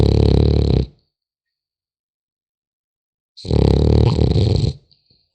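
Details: French Bulldog puppy sleeping, giving two loud rattling snores about 2.5 seconds apart, each a low, buzzy, pulsing grunt lasting around a second, separated by silence.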